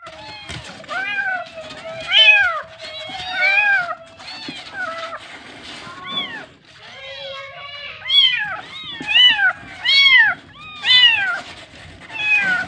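Several kittens mew in high, thin, arching cries, often overlapping, with a few quiet stretches between bursts.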